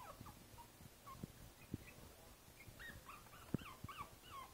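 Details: Five-week-old Boston Terrier puppy Princess Izzy, in a basket on 12/4/2011, lets out faint looping squeals and thin whines among soft thumps and rustling.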